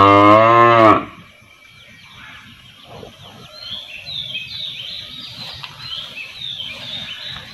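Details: A village cow, standing, lets out one loud, rich moo calling her calf, then small birds chirp softly.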